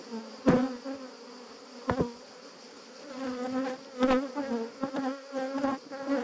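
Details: Disturbed honey bees buzzing around a hive being harvested for honey in Jouques, Provence, France, in July 2017; an intense, wavering drone pulses in loud surges, with several sharp thuds and clicks in between.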